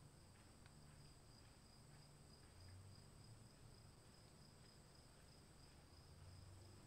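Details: Crickets calling in the rain: an unbroken, high-pitched two-tone trill holds steady throughout, layered over a constant hiss of rainfall and a deep low rumble.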